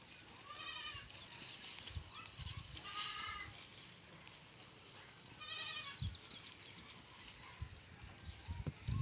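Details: Three separate quavering goat bleats spaced a few seconds apart, each short and nasal, with soft knocks and rustling between them.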